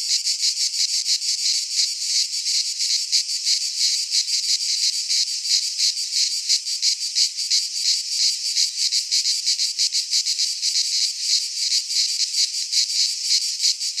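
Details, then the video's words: Greek pine forest cicadas in midsummer producing an unbroken strident buzz, rapidly pulsating at around three throbs per second throughout, dense and even, with nothing else audible. "Cicadas singing in midsummer"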